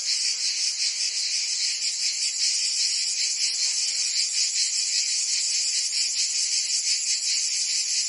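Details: Many cicadas singing together on a Provence summer day in France; a loud, even, sizzling buzz held high throughout, softly throbbing in fast pulses without pause.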